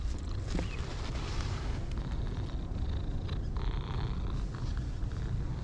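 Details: Two orange tabby cats, one pale and one dark, purring with pleasure while being stroked; a steady low rumble fills the low end, with faint rustling and a brief higher squeak near the start.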